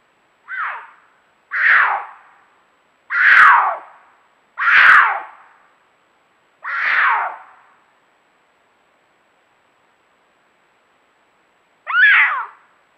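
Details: Night courtship calling between two cougars in an Angeles National Forest canyon: a run of five harsh, falling screams roughly a second apart, a long pause, then one more scream.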